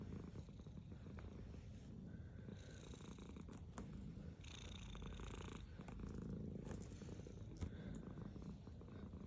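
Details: Black pet cat purring as it eats food, a continuous low rumbling purr with a fast pulsing rhythm, overlaid with wet chewing and licking sounds.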